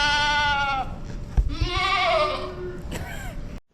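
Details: A goat doe that has been vocalizing near kidding time (kidding earlier than expected) gives loud, wavering bleats, two long calls with rich harmonics, one after the other; she soon kids.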